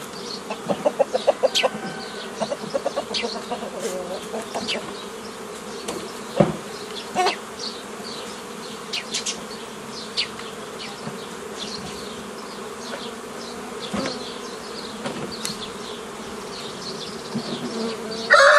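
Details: Honey bees at a hobby beekeeper's apiary on 15 May 2018, as nucleus colonies are formed the old way from a previously made forager swarm. A steady low hum runs throughout, with sharp handling clicks early on and frequent high bird chirps above.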